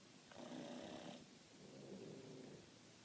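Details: Two Boston Terriers snore loudly in long, rough, rumbling breaths, one after another.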